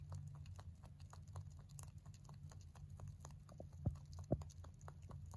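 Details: Male mini rabbit chewing hay, born November 2020: fast run of light crisp clicks roughly twice a second, two louder sharp bites near the end, constant low hum behind.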